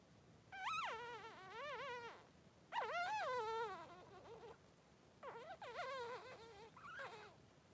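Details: Three-day-old Blenheim Cavalier King Charles Spaniel puppies, two newborn boys, in a puppy pen with their mother: loud rising-and-falling whimpers and cries in three bursts of wavering yelps, each lasting about a second or two, separated by short quiet gaps.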